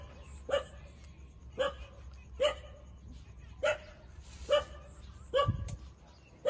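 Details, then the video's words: Nursing puppies, 27 days old, feeding at their mother: roughly eight clipped, squeaky yips come at uneven intervals of about a second, over a low steady hum. "Cute puppy 27-days-old sucking mother for milks"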